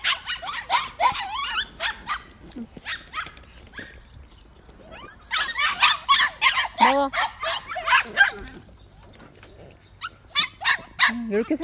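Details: White puppies at a plum orchard, each kept tied up one at a time, yap in two lively rounds of high, snappy barks separated by a quieter gap, with a voice in the background.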